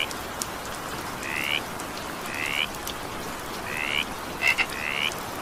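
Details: A frog in evening rain gives brief upward-sweeping, harmonic croaks about once a second, ending with a quick double click before the last call, all set against constant rain noise.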